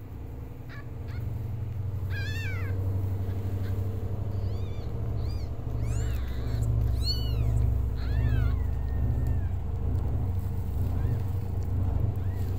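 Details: Orange ginger kitten from street cat Hope's litter of five, crying loudly because he could not get milk and calling for human help; several high, rising-then-falling meows at irregular intervals over a steady low hum.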